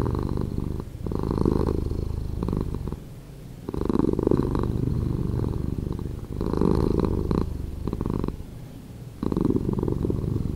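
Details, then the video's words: Pet cat purring, edited slower: low vibrating rumble in repeated breath-length surges, each lasting about two seconds with brief quieter gaps between. "Cat Purring"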